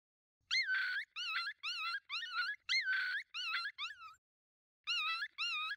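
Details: Coyote pack of five approaching at night: rapid chorus of quavering, high-pitched yip-howls, about eight bursts in four seconds, a pause, then two more wavering yelps; no other clear sounds.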